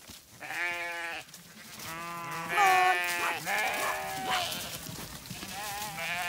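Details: Flock of Zwartbles sheep, ewes moved to the long acre on a regenerative farm in County Kilkenny, Ireland, lambs following; overlapping drawn-out quavering bleats in quick succession, some higher and some lower, with faint background music.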